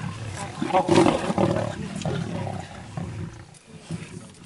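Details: Wild lions eating a buffalo alive: harsh, rough growling and snarling in loud bursts, strongest in the first second and a half, then fading into lower, broken grumbles.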